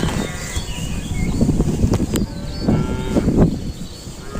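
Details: Cattle making unusual sounds, with low, rough mooing calls under a heavy, noisy rumble and brief harmonic tones rising from the background.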